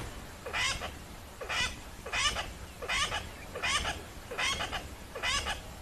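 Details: Very worked-up tree squirrel alarm calling hard in the Lowveld, South Africa, tail involved; sharp scratchy chattering notes, each opening with a rising chirp, repeated at an even pace of about one every 0.75 seconds over quiet background.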